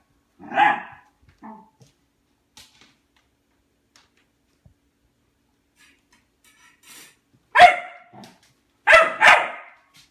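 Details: Albert the dog barking at his empty food bowl in hope of food; isolated sharp barks with long quiet gaps, then a closely spaced pair and a double bark near the end.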